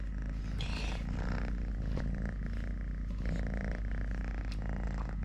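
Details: Three-legged male cat Totoshka keeps up a low rumbling purr beneath scuffing and handling sounds, with a few brighter rustles breaking in.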